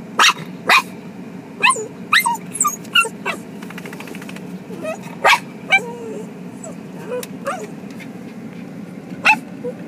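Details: Two excited household dogs in Japan, overjoyed at reuniting with the woman of the house; irregular loud yaps roughly twice a second mixed with thin wavering whimpers, against constant background hum.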